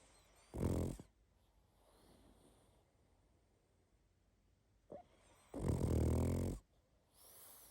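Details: Pug asleep, making two loud, rasping snores: a short one near the start and a longer, roaring one about a second long near the end. Quiet breathing fills the gap between them.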